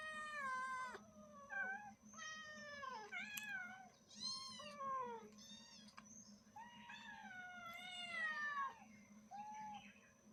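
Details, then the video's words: Cat and kittens meowing loudly: a dense series of high, harmonic meows, many arching or sliding downward, coming every second or so with brief pauses, over a continuous low hum. "Cute cat and kittens meowing loudly"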